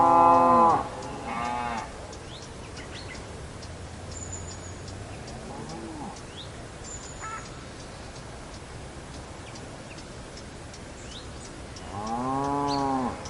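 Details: Cow lowing on a farm: a loud harmonic moo opens, a shorter one follows, then a long quiet stretch with faint bird chirps and steady ticking before another rich, rising-falling moo closes.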